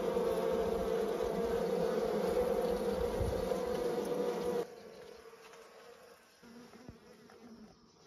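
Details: Honey bees hum with a steady, droning buzz centred around a low-mid pitch, in a countryside village in Nepal.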